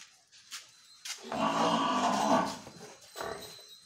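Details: Murrah buffalo from a Haryana dairy farm giving one drawn-out, low, harmonic moo lasting about a second and a half, with faint knocks just before and a soft thud afterward in a quiet shed.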